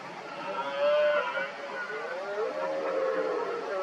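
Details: Several red deer stags, mostly smaller rivals around an injured dominant stag, roar repeatedly during the 2023 rut, working each other up. Overlapping drawn-out, moaning tonal roars with layered harmonics rise and fall and continue through the clip, some louder and nearer than others.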